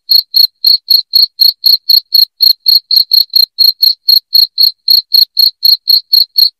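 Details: Shrill cricket chirps, recorded to scare off rats in the house, ring out as an unbroken, even train of short high pulses, roughly four per second, with no other sound behind them.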